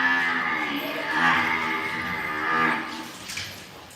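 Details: Imported calves of Angus, Limousin and Hereford breeds at a purchase, one drawn-out harmonic moo swelling twice over about four seconds, then fading.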